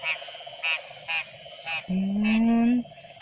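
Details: Wild frog calling at night: short bright croaks repeated about every half second over a steady droning insect chorus, with a longer rising tonal sound entering midway.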